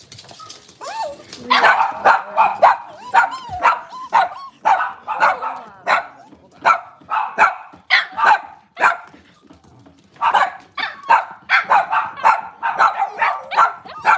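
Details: Cavalier King Charles Spaniels, puppies and adult dogs, indoors in a kitchen on a cloudy Monday morning. Dense, irregular barks and high yips follow one another almost without pause, with a short quiet spell near the tenth second.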